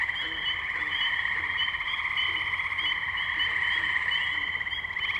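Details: Tree frogs at the Firestone Park wetlands, Columbiana, Ohio, recorded May 6, 2023 on a Zoom H2n: a loud overlapping chorus of rapid trilled calls, steady and continuous, layered in several bright pitched bands without pause.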